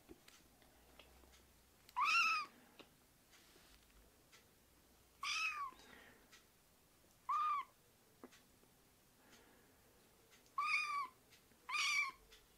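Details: Rescued kittens being raised indoors by a foster volunteer meow repeatedly: six short, high, bright calls spaced a few seconds apart, each arching and dropping at the end, with quiet room sound between.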